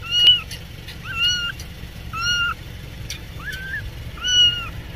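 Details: Cat meowing five times in about five seconds, short level mewing notes with a slight rise at the end, spaced roughly one second apart over a steady low background hum.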